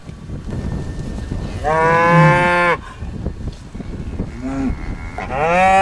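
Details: A bull on a farm on the Welsh Borders gives a loud, steady moo of about a second, then shorter, rising calls follow, with a quieter low grunt between.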